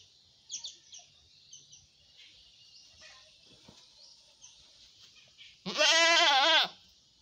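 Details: Black goat, mostly quiet at first with faint scattered background sounds, then one loud, trembling bleat lasting about a second near the end.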